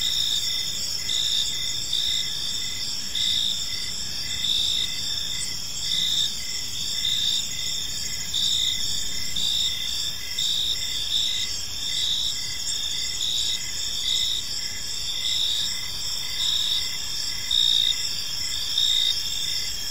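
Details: Long stretch of cricket chorus in a park at evening, layered high ringing trills and steady pulsed chirps repeating under a second apart, unchanging throughout, with only a soft low background rumble.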